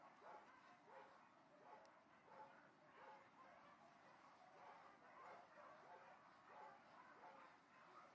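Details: Distant barking dogs give a steady run of short, muffled barks, about one every two-thirds of a second, thin and far off against a constant hiss.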